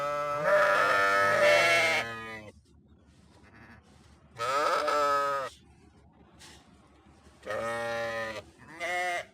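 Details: Sheep bleat: a long two-second quavering cry, then a shorter bleat, a faint brief call, and two more bleats near the end, with quiet pauses between.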